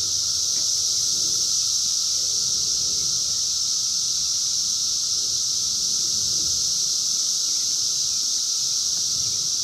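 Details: Brood X periodical cicadas, the 17-year brood emerging in the wild in 2021, captured by phone camera; a continuous loud shrill whine fills the air without pause, backed by a thin steady lower tone and faint rustling.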